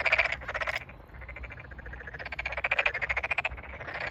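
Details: Tokyo Daruma pond frogs at a water-filled rice field on 8 May 2022 during a big chorus; a short burst of ticking pulses, a quieter stretch, then a loud trill of evenly spaced clicks lasting about a second.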